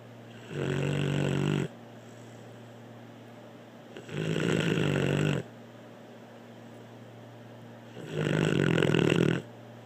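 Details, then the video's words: Blue, a dog, snores steadily: three rasping, buzzy snores, each over a second long, come roughly every four seconds with quiet breathing between. "Blue snoring"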